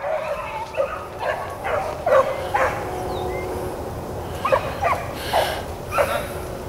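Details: Blackcreek and Bluetick hounds on a rabbit chase, April 4, 2013, heard at a distance: short, sharp barks and yelps scattered irregularly, several dogs giving tongue together against a hissing background.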